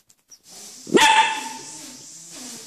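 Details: Coton de Tuléar puppy from a 16-day-old litter whose eyes have just opened; one sharp, loud yap that trails into a short, steady whine and fades, over a faint hiss.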